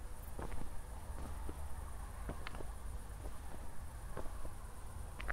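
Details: After a thunderstorm at night near Zwettl, Austria, crickets keep up a faint, even, high chirring trill while scattered footsteps and a low background rumble sound alongside.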